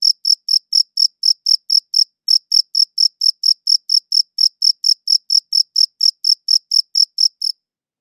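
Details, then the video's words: Crickets chirping against a silent background, recorded as high-quality wav audio; sharp high-pitched pulses repeat steadily about twice a second, with one brief pause near two seconds, no other sounds. "Cricket Chirping Sounds"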